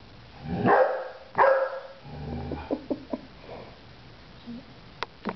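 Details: Cricket, a Golden Retriever, gives two loud barks, then softer grumbles and yips, trying to get someone to play while no one will.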